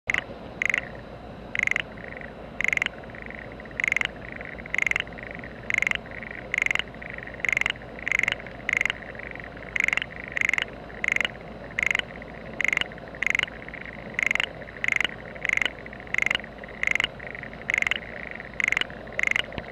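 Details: Frogs calling in a home rice paddy in spring as preparations for planting go on: a steady chorus of rasping croaks repeated about twice a second, with a continuous higher trilling wash underneath.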